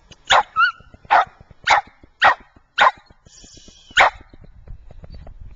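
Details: Fergus, the white Scottish Terrier from Wellsville, New York, gives a run of seven harsh mid-pitched barks about half a second apart, with a brief high whine after the first and faint tonal sounds and low rumble near the end.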